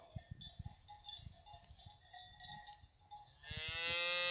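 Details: Fighting bull cows with their calves at the La Paloma bull ranch: steady cowbell tones and dull thuds, then a loud, deep, harmonic-rich moo begins near the end and carries through to the close.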